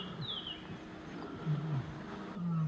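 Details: Four male lions of the Nkuhlu coalition give deep, rumbling roars that swell in the second half as they chase an unknown rival male back across the Sabie River, Kruger National Park.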